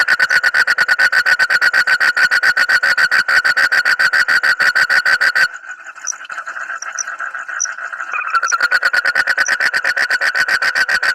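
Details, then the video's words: Frog with a call described as strange but funny. It gives a fast train of nasal, pulsed notes, about four per second. A short break follows with scattered faint clicks and squeaks, and then the rapid pulsing resumes to the end. "suara kodok aneh tapi lucu"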